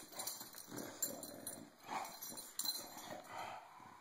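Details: Bulldog Cisco snarls back after being bullied: rapid, uneven rough grumbling growls repeat about every second, with a sharp knock and scrambling noise between them over a faint steady whine.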